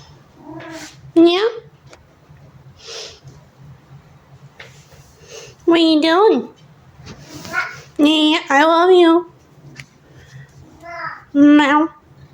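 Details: Ziggy, a talkative male pet cat, meows for his food too early. Loud, drawn-out meows rise and fall in pitch, about five over twelve seconds, between stretches of a person talking back to him.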